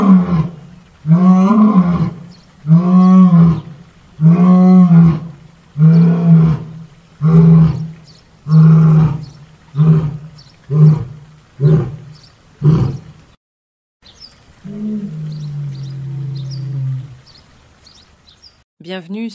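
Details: Jaguar giving a steady run of about twelve deep, rasping grunts, roughly one per second, like coarse sawing. A brief pause follows, then one longer, lower drawn-out rumble.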